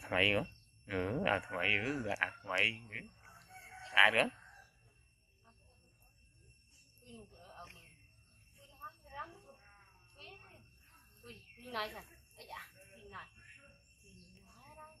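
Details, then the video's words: Baby hybrid monkey Koko, a male found in jungle mountains and raised by a villager, cries loudly after being bitten in a fight with his brother Yoko: harsh, rising and falling screeches in rapid bursts for four seconds, then quieter whimpers among background voices. "Monkey Koko Bites Brother Yoko Extreme Cry Loud"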